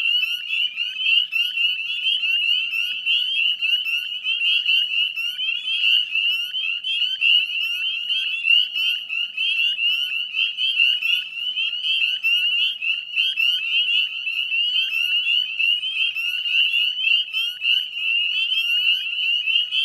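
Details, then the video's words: Northern spring peepers in full chorus at dusk on 18 May 2020, West Chezzetcook salt marsh, Nova Scotia, Canada: dense overlapping high, rising peeps forming a continuous shrill wall of sound with no other voices. "Northern Spring Peeper Chorus"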